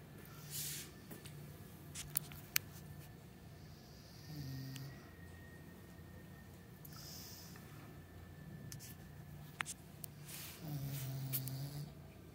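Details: Sleeping English Bulldog Meatloaf, resting on a cushion and chair indoors, snores in low, buzzy pulses, with two louder snorting breaths standing out midway and near the end amid light clicking and tapping.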